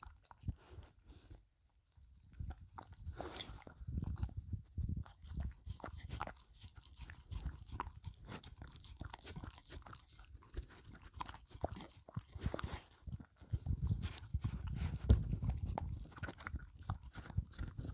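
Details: Pet dog Filou licks and crunches a cucumber treat, messy eating with rapid irregular crunches, wet licks and short pauses, loudest near the end; no speech, quiet indoor setting.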